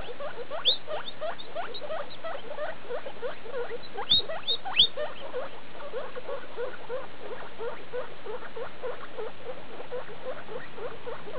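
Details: Hairless skinny guinea pigs, a mother and her seventeen-day-old young, recorded 19 August 2012: rapid repeated squeaks, some sweeping sharply upward into high thin whistles, with a couple of louder bursts near the middle.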